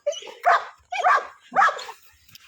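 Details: Pit bull named Cake giving three rough, harsh barks in quick succession, each lasting about half a second with brief pauses between, and no other sounds.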